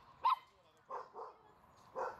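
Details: Schnauzers swimming and jumping into water: one sharp, high bark, then three softer short yips spaced about half a second apart, against a quiet background.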